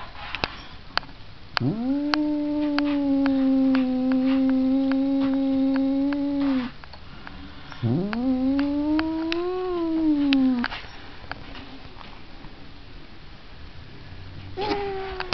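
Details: Cat giving two long, low, drawn-out yowls: the first holds steady for about five seconds, the second swells slightly upward over three seconds and then fades, with scattered sharp clicks between them and another yowl starting at the end.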